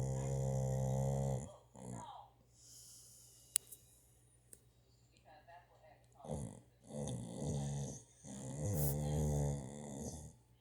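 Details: Sleeping dog snoring indoors: long, deep, droning snores lasting one to two seconds, separated by quieter pauses, with voices and other sounds from a violent film playing in the background.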